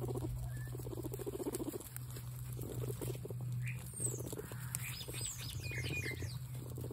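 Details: Excited pet guinea pigs produce bursts of throbbing, pulsed purrs separated by brief pauses, plus a few thin high squeaks, against a continuous low droning hum.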